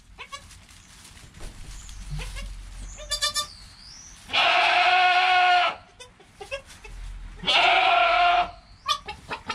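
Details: Newborn goat kid named Joel, within an hour of birth, beside his calm mother Penny; two loud, broad, harmonic bleats about a second long each, separated by quieter clicks, rustling and faint high chirps in between.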